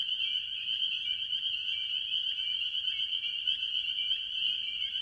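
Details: Early-year chorus of tree frogs, mostly spring peepers, at a farm pond: countless high piping peeps blend into a continuous shrill drone, with a few distinct notes briefly standing out above the steady mass.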